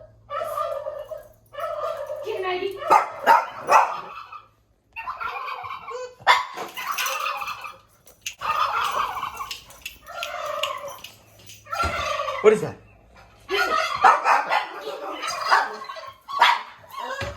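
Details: A dog, bothered by a strange noise coming from the kitchen, gives a series of drawn-out, moaning, talk-like vocalizations in short bursts.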